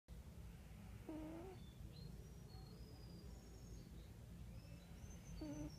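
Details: Wera the cat snoring: two short nasal, whistle-toned snores near the start and end, each under a second, over a low steady hum with faint high bird chirps in the background.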